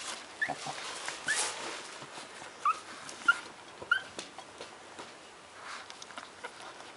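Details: Twelve-day-old Shih Tzu puppies give a string of short, high, squeaky whimpers, rising peeps spaced under a second apart, over soft rustling and shuffling in a small indoor space.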